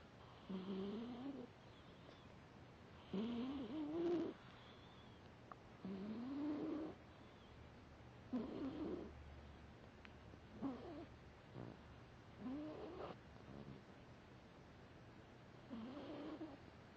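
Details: Bret, a foster cat, asleep and snoring so hard his nostrils flare, too deeply asleep to wake at first; rough rising snores recur roughly every two to three seconds with quiet gaps between.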